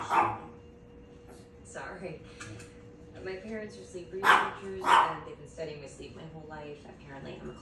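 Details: Barking Chihuahua that barks as a hobby: irregular yips and barks, two loudest close together midway, over overlapping human voices and background chatter.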